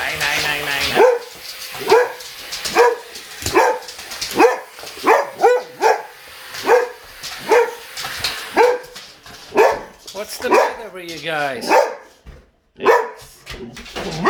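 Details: Boxer dogs barking at a vacuum cleaner indoors: a long run of loud, sharp barks repeated roughly every half second to second, a few yelping notes near the end and a brief silence before barking resumes.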